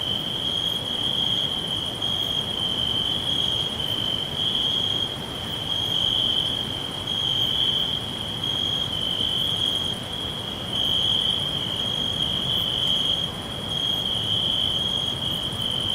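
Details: A chorus of crickets whispering all round in a natural forest: one piercing, even trill holds steady for the whole stretch, pulsing gently in strength, with faint regular higher clicks and a low murmur underneath.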